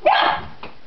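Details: A dog named Freddy barking at a butterfly near a yard workshop gives one loud, sharp bark that falls away quickly, followed by a fainter short second yelp.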